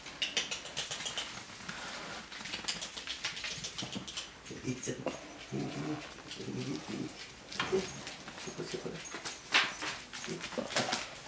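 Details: Dachshund puppies from one litter playing with a Lancashire Heeler puppy: scattered short whimpers and low growly yelps, with scrabbling and clicking noises and a person talking over much of it.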